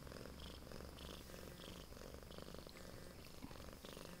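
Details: A female Siamese cat at home, recorded 27 September 2011, purrs steadily, a low rumbling hum that swells and fades with each breath.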